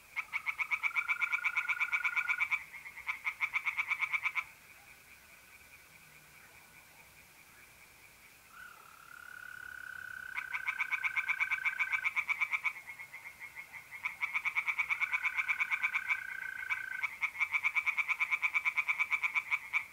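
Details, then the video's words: Pond tree frogs singing on a mid-April night in north-east Italy: loud bursts of rapid, evenly pulsed croaks lasting two to three seconds, separated by quieter gaps filled by the smooth continuous trill of mole crickets. "relaxing singing tree frogs in pond and trilling mole crickets by night"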